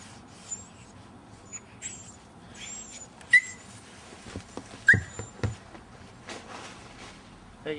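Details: Two Alaskan Malamute puppies, Nico at five and a half months and Rexy at nine weeks, play fighting; short high whining yelps, two clear ones about a second and a half apart, amid scuffling thuds, faint squeaks and people talking.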